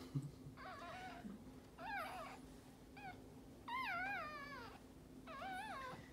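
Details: During a Maltese dog's birth of her second puppy, in a litter of three, shrill bending cries rise and fall in wavy arcs. They come in clustered bursts, some longer and quavering, with a constant low electrical hum underneath.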